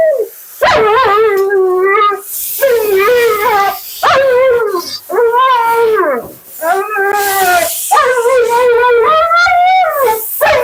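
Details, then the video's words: Siberian Husky Mila complains loudly while being bathed and groomed: a string of about eight drawn-out, bending howl-moans, each roughly a second long and separated by brief gaps, with wavering pitch and bright overtones. "Talking Husky FURNADO Bath and Blowout"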